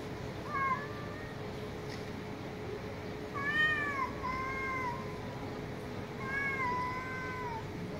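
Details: Street cats calling outdoors: three drawn-out meows with harmonic stacks, rising then level, spaced about every three seconds over a steady low background hum and distant noise.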